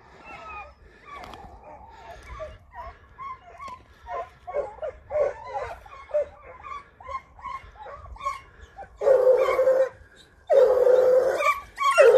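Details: Lurchers hunting foxes by day, loud close yelps and whining cries in quick, uneven bursts of about forty a minute, ending in two long, strained, sustained squealing cries separated by a short silence.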